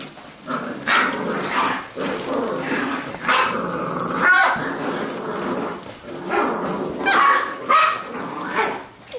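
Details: Labrador retriever puppies from a B litter playing together, giving loud growl-barks and yips in irregular bursts, with human voices mixed in between the calls.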